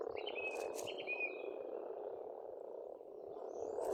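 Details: A spring frog chorus at an Estonian farmstead pond hums on without pause as a steady low croaking mass, while a bird gives bright, level whistled notes in the first second and a half, then fades out.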